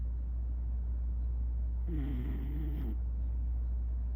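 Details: Single loud snore from a beagle asleep on its owner's lap, a buzzy, harmonic rasp lasting about a second and set against a steady low rumble.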